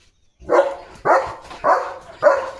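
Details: Pet German Shepherd Leo, playing with his new pipe toy, barks four times in an even run, about half a second apart. Each bark is strong and full-bodied.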